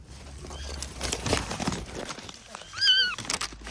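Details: Kitten trapped under rubble beside its mother cat during a rescue: a short, high, arched mew rising then falling near the end, after a fainter earlier mew, amid crackling and crunching of debris being moved.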